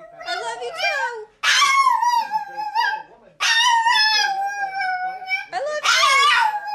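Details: Pet dog Rusty "saying I love you" with long, sustained, yodel-like howls that waver and slide downward, three or four phrases broken by brief silences, heard indoors.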